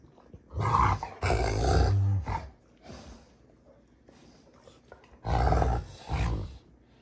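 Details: Rottweilers June and Kenai play fighting on a ranch: deep, rough growls come in loud bursts of about a second, separated by quieter gaps with softer rumbling and scuffling.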